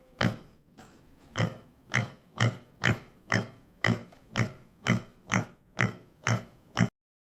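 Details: Domestic pig grunting steadily, a run of about a dozen short, rough, snorting oinks spaced roughly every half second, each with a deep base and harsh upper noise, on a clean background.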